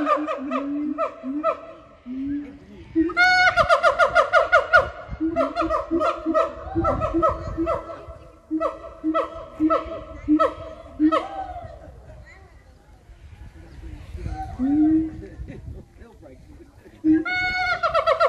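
Gibbons sing a series of loud, hooting notes, some held steady and some swooping up and down.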